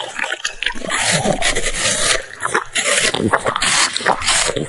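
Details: French Bulldog nibbling food bite by bite while making snoring noises; broadband snuffling and scraping bursts fill the recording almost continuously, with brief quieter gaps near the two-second mark and again shortly before the end.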